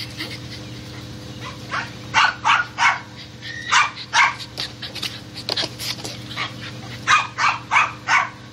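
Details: Dogs hunting squirrels, barking in a rapid run of sharp, short yelps, several bursts per second in clusters, against a steady mechanical hum.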